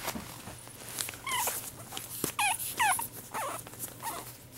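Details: Pug whining to get closer: a series of high, wavering whimpers, short rising and falling tones repeated roughly every half second, with soft rustling and snuffling between them.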